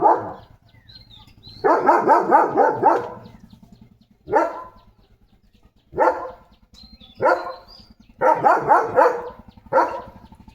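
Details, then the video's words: Leo, a German Shepherd, barking in the morning: rapid bursts of several barks alternating with single loud barks, irregular pauses of one to two seconds between groups, faint bird chirps in the background. "Leo The German Shepherd ची भुंकण यंत्रणा सुरू"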